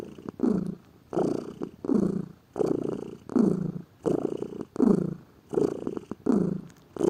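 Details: A lazy pet cat purring, a rich low vibration repeating in about ten evenly spaced breath-length swells with faint clicks between them.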